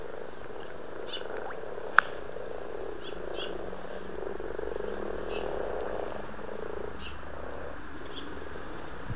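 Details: February chorus of amorous frogs in a pond at Blarney, Cork, Republic of Ireland: low rolling purr-like croaks swelling and fading in waves, with a single sharp click around two seconds and faint ticks.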